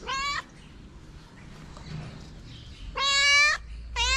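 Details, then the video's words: Short meows from a calico street cat in Morocco that wants love and food: one brief call, a quiet pause, then a louder, longer, bright meow and the start of another. "A cute calico cat who asks me for love and food."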